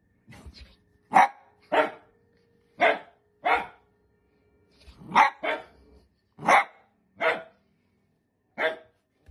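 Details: A Dachshund, or sausage dog, barks in crisp separate bursts, some paired, roughly ten across nine seconds with quiet pauses between them and a faint steady hum underneath.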